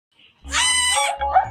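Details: A little goat, possibly a newborn, gives a single harsh, nasal bleat lasting under a second, followed by a softer trailing sound.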